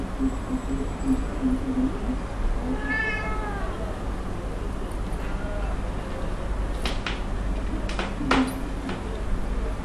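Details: Playful Birman kittens from a litter born in July 2010 give one high, harmonic-rich meow near the three-second mark, bending slightly downward, over a steady low room hum with sharp tapping knocks later on.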